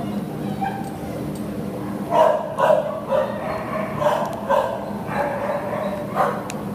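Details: A terrier available for adoption, recorded at a shelter, gives a series of short, sharp barks and yips in irregular bursts over a steady background hum, with some speech mixed in.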